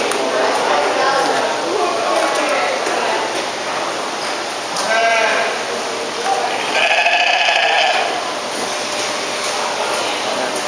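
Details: At the 2011 Houghton County Fair, a sheep seeking attention bleats twice, a short cry then a longer quavering one, against steady background voices of a busy crowd.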